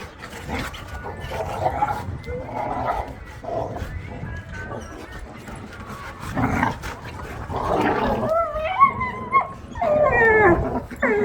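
A Rottweiler gives bursts of bouncy, whining barks during play, with rising and falling yelps.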